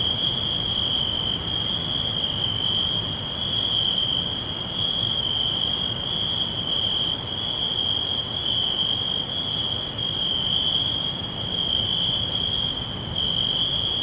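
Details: Crickets trill steadily in a high, unbroken forest chorus over a soft hiss of background noise.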